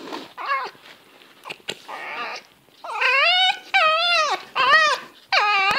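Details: Fox making funny sounds during zoomies: a run of loud, wavering, whining cries with rich harmonics, each about half a second long, some rising then falling, following softer scuffling noises.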